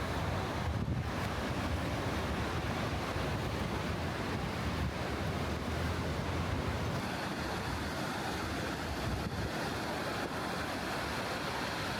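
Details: Seaside ambience near a hot-spring inn in Ito, Shizuoka, Japan: steady broadband roar of waves and surf with wind buffeting the microphone; no animal voices.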